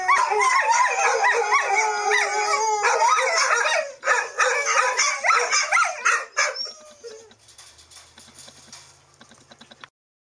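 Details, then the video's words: Three puppies in one of their periodic howling sessions, which happen day or night: several wavering, overlapping howls with yips in a loud chorus for about four seconds, then broken, shorter howls that fade out by seven seconds, leaving a faint low hum. "Puppies indulge in periodic HOWLING sessions"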